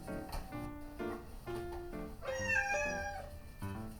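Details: A recorded house-cat meow is replayed to the household's two female cats, a Scottish Fold and a Munchkin, as they gather. A single drawn-out, wavering meow stands out briefly against piano-like background music.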